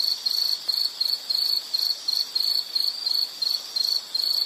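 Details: Insect chirping in a nature recording: high, narrow-pitched pulses repeated about two to three times per second in short trills, steady and unbroken, with a faint hiss behind.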